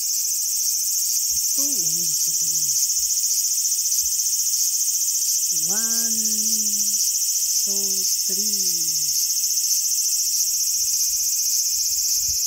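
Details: Loud, steady high cicada drone in a small garden, August 5, 2020, with a few short lower wavering voice-like calls rising and falling in the middle.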